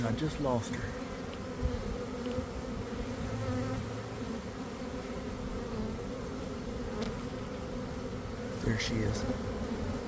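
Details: Honey bee swarm forming in a garden in early afternoon, following a cold, damp week. Continuous droning hum of many bees, with close individual fly-bys early on and again near the end.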